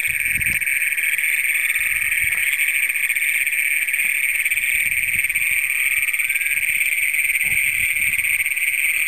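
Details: First documented Great Plains toads of Brown County, Minnesota, heard at night on June 27, 2010, via Canon PowerShot SX100: a sustained, piercing, high trill drones on without pause, with scattered faint low bumps.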